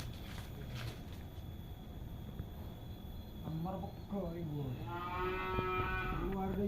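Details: Cattle lowing in a rural setting, a run of short harmonic moos starting midway and overlapping into a longer, louder drawn-out call near the end, over a constant background hum and low rumble.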